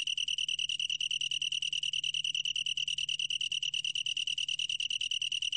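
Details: Long-tailed tree cricket song: a shrill, evenly pulsed trill on one high pitch, sustained without pause, with ringing overtones above and a soft low hum in the background.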